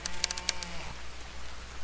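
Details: Killer whale echolocation underwater: a few sharp, broadband burst-pulse clicks in quick succession, then a low hum of underwater noise. The clicks reflect off objects to locate food such as fish, seals or other cetaceans.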